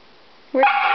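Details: Siberian Husky named Iris, indoors and worked up after being left behind while others went to PetSmart without her; a sudden short, loud harmonic yip with a rising then flat tone after half a second of quiet.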